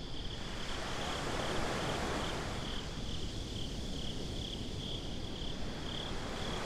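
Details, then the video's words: Beach crickets at night in binaural sound. A faint but steady train of high chirps pulses along the whole clip beneath a dense, low wash of breaking surf. "Crickets at the Beach"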